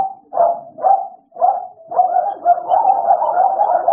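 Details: American Bully pair Idol and Alice at play: three separate barks spaced half a second apart, then a fast, merging volley of barks.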